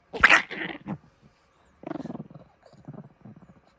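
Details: Chihuahua snoring hard while asleep late at night: a sharp rasping snort opens, then bursts of quick fluttering, pulsed snore rattles, each lasting about half a second with short silent gaps between.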